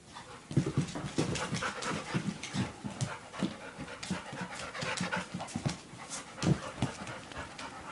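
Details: Three-month-old Labrador Retriever puppy seeing its reflection in a mirror for the first time and playing with another dog: rapid, uneven breathy panting puffs with soft low thumps throughout.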